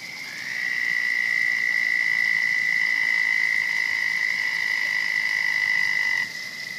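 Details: Frog at a pond, where a turtle later attacks frogs, giving one long, steady, high trill. It starts abruptly, holds an even pitch with a fine pulsing texture for about six seconds, then stops sharply. A fainter continuous chorus carries on underneath.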